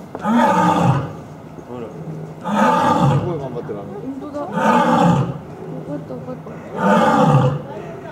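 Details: Lion roaring indoors at Asahiyama Zoo, Japan, 30 October 2012. Four loud, rich, moaning roars, each about a second long, recur steadily every two seconds, with softer rumbling grunts filling the gaps.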